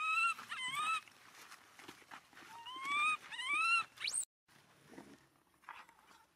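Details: Abandoned monkey crying while hugging its owner's feet: high, whining cries with rising, wavering tones in two loud bouts, the last sweeping sharply upward before breaking off into quieter rustling.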